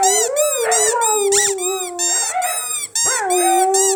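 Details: Pet Siberian Huskies howling, set off by a squeaky toy: sustained, wavering tones that rise and fall, with overlapping voices, a short break near the three-second mark, then a fresh howl swooping upward and holding steady.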